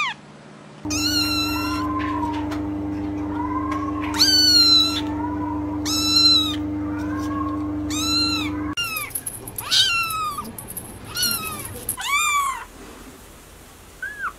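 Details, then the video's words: Kittens calling in quick succession, high arched meows overlapping one another, some longer and wavering, over a steady low mechanical hum that drops away midway, leaving a quieter backdrop. "Kittens meow"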